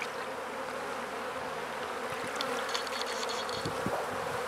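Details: Continuous low drone of a honey bee colony at a new hive being fed, an even, dense buzzing with faint clicks and light scraping of equipment in the background.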